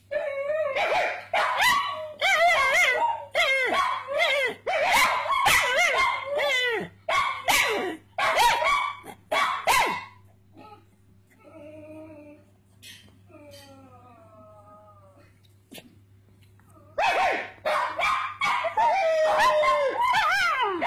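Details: A pet pug called Puggly barks along with people, firing quick repeated yelping barks for ten seconds, then a quieter stretch of soft, thin whines, before the rapid yelps resume.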